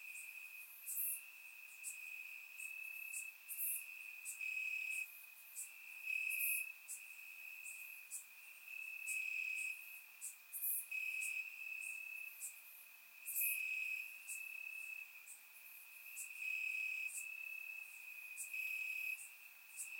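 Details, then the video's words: On a warm summer night in Bulgaria, crickets sing from the grass: a constant shrill trill swelling and easing in pulses every couple of seconds, with many short bright chirps from neighbouring crickets sprinkled throughout. "Cricket Sounds - Crickets Chirping at Night"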